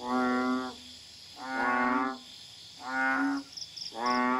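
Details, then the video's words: At night in a Kuala Tahan garden, Pahang, Malaysia, a Common Asian Bullfrog gives low, drawn-out, bleating moos at regular intervals. Brief high chirps from an insect or another small caller sound near the end. "The frog calling in the background is a Common Asian Bullfrog (Kaloula pulchra)."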